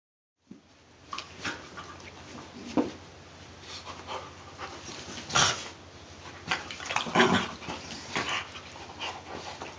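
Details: Eight-year-old Basenji at a weekly Saturday play date with a short-haired Border Collie in June 2012, roughhousing; scattered high yips and whimpers, one sharp cry midway, over scuffling, panting and thumps of play.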